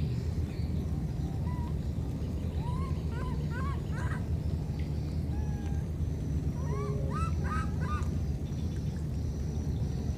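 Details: Two wild baby monkeys, separated by a flood, call to each other: short high whistled notes rising and curving upward, some in quick clusters of two or three, over a constant deep rumble of water.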